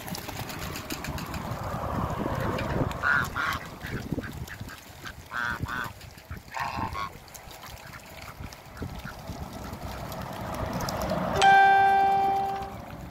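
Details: A pair of Mallard ducks at a waterbird farm in Skydra gives short nasal harmonic quacks around six and seven seconds, with a clear steady whistled tone near the end over background rustling and noise.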